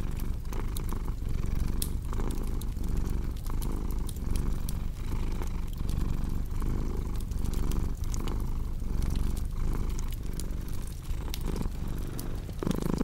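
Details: A cat's continuous low purr pulses rhythmically in breath-length waves across the whole stretch, set against a cozy fireplace whose crackles and snaps sound frequently.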